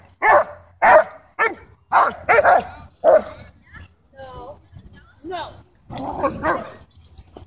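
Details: German Shepherd at a dog park, territorial and aggressive over toys and personal space, barking to demand the ball from its owner while another dog, Bodhi, barks back playfully. Sharp barks come in a rapid series, about seven in three seconds, then softer whining tones and a final rough burst.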